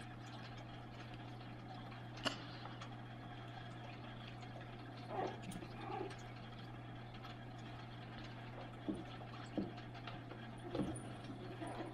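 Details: Steady low electrical hum and quiet trickling water, broken by a few faint knocks and taps.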